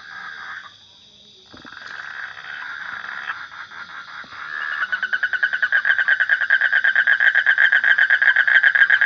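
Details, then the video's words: Soft, scattered croaking from a frog at first, swelling into a loud, fast, evenly pulsed trill that rattles on to the end over a faint high background hum. "Suara Kodok / Frog Sound"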